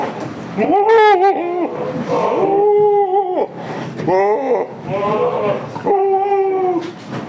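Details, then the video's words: Damascus and Jamunapari goats kept on a village farm, giving a series of drawn-out, quavering bleats about a second each, several in a row with short pauses, with voices and room echo faintly behind. "Damascus Goat and Jamunapari Goat Farm in village"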